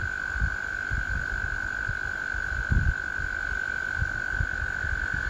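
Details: A spring chorus of American toads: one unbroken, even-pitched musical trill runs the whole time, with soft low thumps and rumble beneath.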